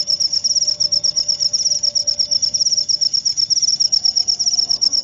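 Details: Rapid, high-pitched cricket chirps pulsing in an unbroken run, sharp and metallic, with a quiet steady low tone in the background.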